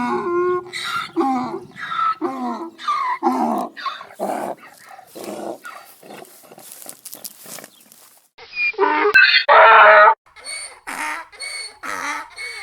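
A donkey brays in a run of rasping, harmonic honks, ending in one loud, harsh blast.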